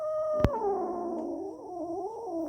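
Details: Cats that have caught a rat give a long, wavering, eerie yowl that slides slowly downward and then rises again, with a sharp click early on and faint background hiss.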